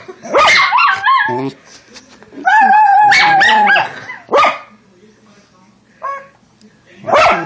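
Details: Female Schnauzer puppy singing along to sounds: short yips followed by drawn-out, wavering howls that rise and bend, broken by brief pauses.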